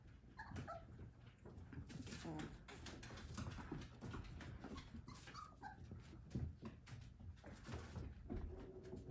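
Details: Three-week-old Whippet puppies from the Minx x Oscar litter give short, thin, tonal whimpers that rise and fall, heard indoors among constant rustling, scratching and shuffling, while a person talks over them.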